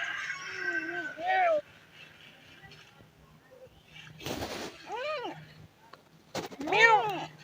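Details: Abandoned street kittens calling out in distress for their dead mother: three separate arching meows spaced a few seconds apart, with a short burst of harsh broadband noise between the first and second calls.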